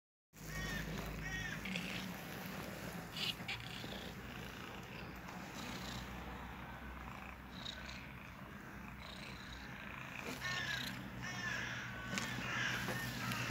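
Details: Two domestic cats cuddling together, purring in a steady low rumble of rapid pulses that runs throughout, with faint higher chirping sounds and soft rustling over the top.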